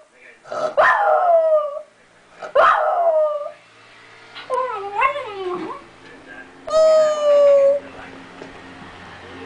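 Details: Domestic dog howling because her sister was taken to the vet; a run of wavering, yodel-like howls rising and falling in pitch, ending on one long steady falling howl, with faint background noise.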